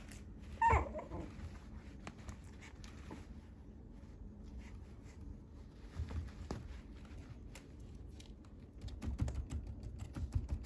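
A Shih Tzu gives a single short, sharp bark early on, followed by quiet indoor stillness.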